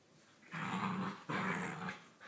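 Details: A little puppy gives two rough, low growls, each lasting under a second with a short pause between, in a quiet indoor setting.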